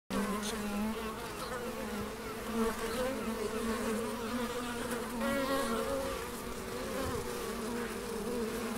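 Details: Bees buzzing in the Biblical Gardens at Elgin, Moray, Scotland: a steady, dense droning hum with overlapping wing tones that waver slightly in pitch throughout, several insects heard together.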